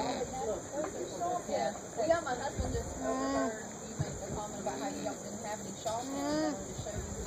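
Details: An alpaca (Vicugna pacos) alone at a farmer's market hums in soft, nasal, wavering tones, calling to another alpaca in a nearby pen; background noise present.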